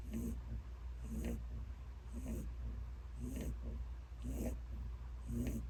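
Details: Peter, a very elderly ten-year-old pet rabbit, snoring loudly while asleep: short rasping breaths about once a second, each with a soft hissy top, over a steady low indoor hum.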